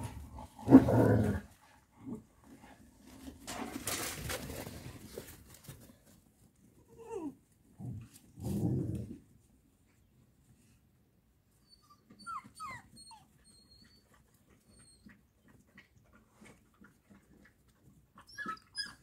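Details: Ten-week-old Boxer-Malinois mix puppies: loud harsh bursts near the start, a longer rough growling stretch around four seconds, another burst near nine seconds, then mostly quiet with faint thin squeaks and small noises toward the end.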